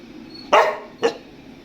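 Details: Pet dog demanding to go into an air-conditioned room; two short, sharp barks half a second apart in a quiet room.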